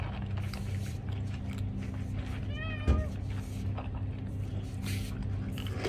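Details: A cat meowing for food gives a single short meow, a clear harmonic tone that dips slightly, heard once about midway through, over a steady low hum and scattered soft clicks.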